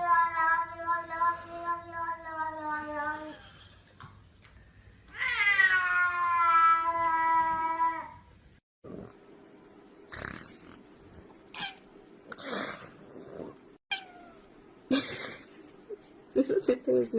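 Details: Domestic cat giving two long, drawn-out meows, each lasting about three seconds, the second rising then sliding down in pitch, followed by scattered clicks and soft knocking sounds.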